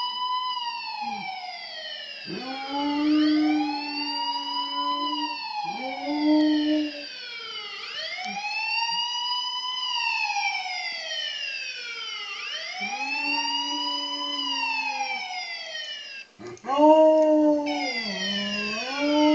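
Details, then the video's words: Max the dog joins a wailing police siren. Sustained, slightly wavering howls end in downward slides and pause between breaths, while the siren rises and falls repeatedly over them. "max howling at police alarm"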